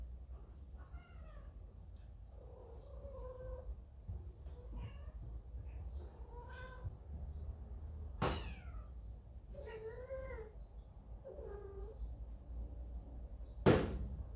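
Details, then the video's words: Kitten from a large domestic cat family, just scolded by its older brother and going to its mother; repeated arching, harmonic meows every second or two, rising then falling, with two sharp knocks near the end in a quiet room. "형한테 혼나고 엄마에게 이르는 아기 고양이"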